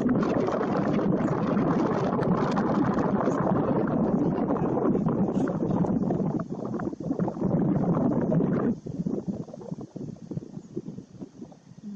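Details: Steady rushing, bubbling water and wind noise, fading after about nine seconds, with no animal calls heard.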